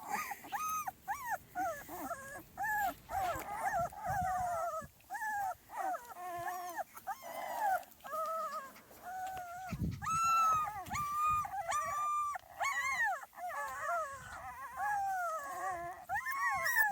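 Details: Small Munsterlander puppies, a 2.5-week-old litter outside for the first time, giving many overlapping squeaky whines and whimpers, rising and falling, in short bursts with brief gaps.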